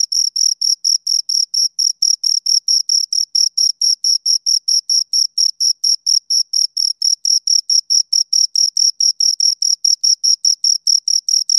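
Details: Steady chirping from two crickets, high and piercing, pulses repeating around twice a second in an unbroken rhythmic series; quiet background.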